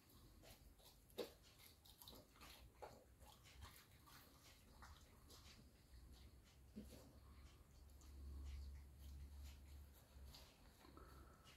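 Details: Alaskan Malamute struggling a bit while eating a pig-in-a-blanket indoors; low, rumbling grumbles swell near the end, with scattered clicks, chewing and mouth noises throughout and a faint voice in the background.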